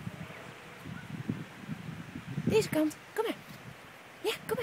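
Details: Five-week-old Leonberger puppies giving short, high, ringing yelps, a few sharp yips bunched between the second and final moments, each with a clear tone, over a soft low rumble and rustling in the background.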